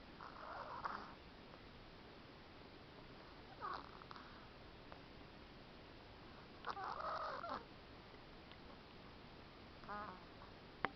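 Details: Cleo, a cat with a stuffy nose, snoring as she sleeps: short wheezy nasal bursts with whistling overtones recur every few seconds, separated by quiet breathing and a steady background hiss.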